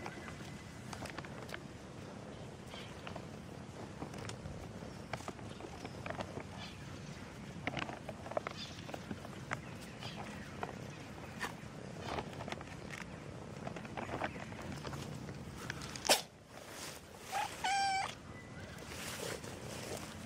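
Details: A black domestic cat on the street gives one brief, tonal, wavering meow near the end, over steady traffic-like rumble, scattered clicks and footsteps.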